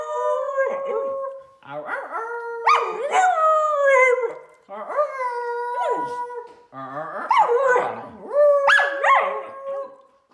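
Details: Three-year-old female Samoyed at home howling in her typical way on her birthday: a series of drawn-out tonal howls, each with a sharp upward yelp then a long level wail, roughly five phrases, with faint voices.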